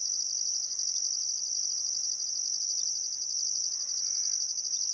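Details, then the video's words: Chorus of crickets by the Barcoo River, Welford National Park, Outback Queensland, at sunset in summer, still air; steady high-pitched buzzing trill with an upper band switching on and off roughly each second, a soft bird note near the end. "Australian Sunset Chirping Crickets"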